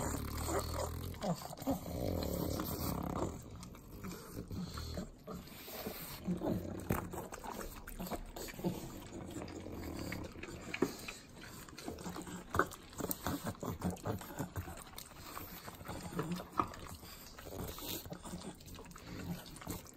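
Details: Butter-eating pugs, three of them, in Southern California's Inland Empire: a long run of sloppy clicking licks, smacks and deep nasal snorts, busy and uneven throughout.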